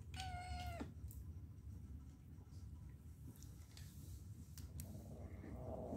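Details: Pet cat giving one short, level meow at the start, then mostly low rumbling background noise with scattered clicks and a faint murmur near the end.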